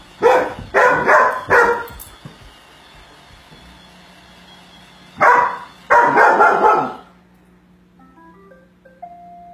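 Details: A four-month-old Great Pyrenees–Golden Retriever mix puppy barking at a robot vacuum: three quick barks, a pause, then another burst of barking; a humming machine tone and short electronic beeps follow.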